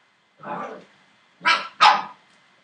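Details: Entlebucher Mountain Dog puppies aged seven weeks, litter born 28 December 2013: three loud yapping barks, a lower first one then two sharper, higher barks in quick succession, nothing else heard.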